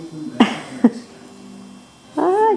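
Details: Male Cockapoo puppies, four brothers named Kujo, Louie, Oliver and Bo, filmed on 4-18-14: two soft knocks, then a short high whine that arches up and falls away, with quiet room noise.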